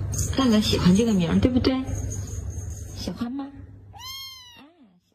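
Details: A pet cat named Laolao, called that for being so chatty, gives one clear, arched meow near the end. Several seconds of a person speaking Mandarin to it come first.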